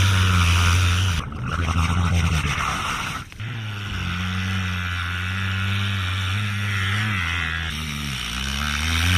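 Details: A wild killer whale that seeks human company mimics a boat engine underwater with a low, steady, droning hum that wavers slightly in pitch, apparently trying to communicate.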